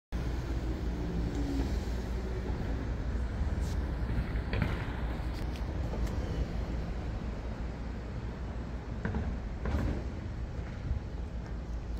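Steady low rumble of road traffic with passing vehicles and a few faint clicks, no animal calls.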